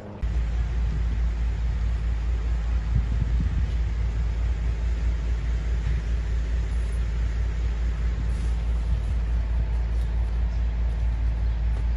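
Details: Steady low engine and vehicle rumble fills the scene during the firefighting response at the horse stables in Sami Abdulrahman Park, Erbil, with no animal voices audible.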